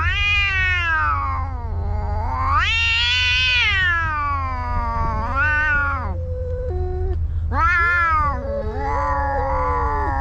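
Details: Two fighting cats caterwauling loudly, with long wails that climb to a harsh peak and fall away, a brief break, then more rising and falling yowls. A steady low hum runs throughout.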